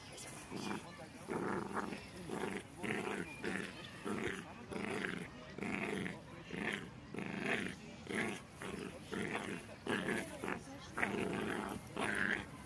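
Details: Jack Russell Terriers Loki, a six-month-old that will not let go once he bites, and Singa play-fighting and biting; rhythmic bursts of growling and snarling repeat roughly every second, with a man's voice talking over them.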